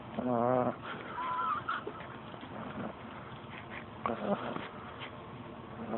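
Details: Thirteen-week-old pug puppy snoring, with a loud nasal, wheezy snore at the start and another about four seconds later, a brief higher whistled squeak between them, and soft breathing noise throughout.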